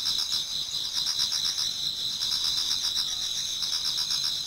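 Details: Autumn insects chorusing in a Japanese garden as dawn approaches, a constant shrill high-pitched trill overlaid by rhythmic pulsing chirps from several singers.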